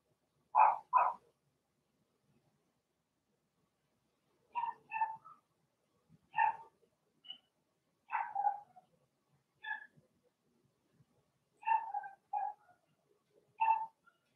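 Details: Blenheim Cavalier King Charles Spaniel puppies from Remy's litter of six, in their home puppy pen, give short high yapping barks in quick pairs and clusters, separated by brief silent gaps.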